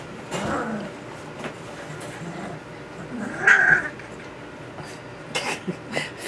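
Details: Puppies just under three weeks old, 2 weeks and 6 days, just learning to use their voices: scattered thin whines, then one louder high squeal that rises and falls midway, with soft clicks and rustling around it.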